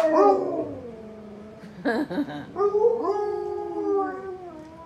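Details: Three pet Alaskan Malamutes howling together in a chain reaction after destroying their squeaky balls and watching a squeaky toy clip; long overlapping howls slide downward then hold level, broken midway by a short burst of yelping before the howls swell again.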